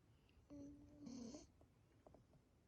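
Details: Sleeping Corgi Seri, filmed 26 October 2020, lets out one thin, steady whistled snore that wavers near its end, followed by faint breathing clicks in a quiet room.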